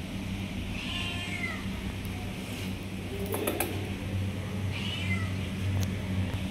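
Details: Baby cat calling for milk with two short, falling meows spaced several seconds apart, a brief clatter between them and constant low background hum.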